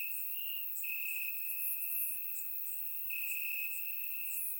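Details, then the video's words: Crickets chirping in grass on a warm summer night in Bulgaria, captured with a surround microphone: a steady high trill pulsing in long bands, with brighter, thinner insect chirps flickering above it throughout. "Cricket Sounds - Crickets Chirping at Night"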